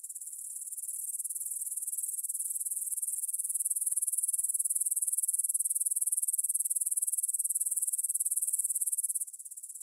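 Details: Evening stridulation of grasshoppers, 9pm on 6 September 2020, meadow beside the Svensky monastery in Bryansk, Russia, recorded with a Tascam DR-44WL; a sustained high, sizzling, rapidly pulsing drone rising slowly in volume before a sudden drop at the close.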